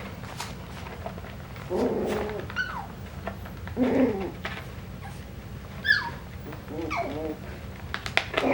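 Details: Coton de Tulear puppies at a breeder, recorded 9/12/22, give several short high squeaky whines with falling and bending pitch, spaced a second or two apart, over a low steady hum and faint background voices.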